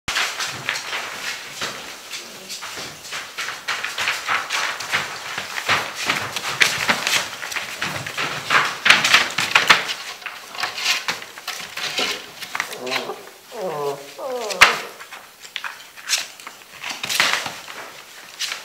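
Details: Six-week-old Gordon Setter puppies at play: steady tapping and scuffling throughout, then a short run of high, wavering whines and yelps near the end before the clatter resumes.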